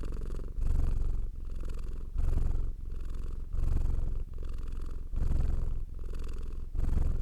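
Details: A domestic cat purrs steadily, a low rumbling throb alternating with each breath in and out.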